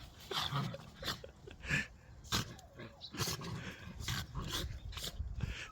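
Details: Pet dog named Jenny indoors with its owners, giving short rough growls and snuffling bursts in irregular spurts through the clip, some rising to harsher grunts, with people talking nearby.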